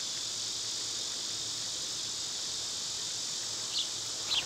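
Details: Continuous shrill buzzing of cicadas in summer, an even wash of high sound; near the end two short bird chirps sound faintly over the drone.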